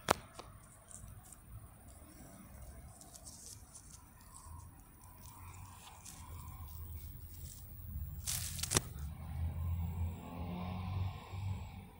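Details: Leaves and twigs rustle and crackle steadily as a cat plays in a bush, with a sharp snapping burst near the end and a low rumble underneath.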